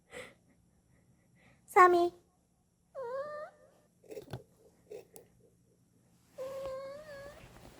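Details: Indoor rescued street cat Dolsami replying to its owner when asked to speak: a sharp short vocal burst, then two separate meows, the last long and slightly rising, with faint handling noises between them.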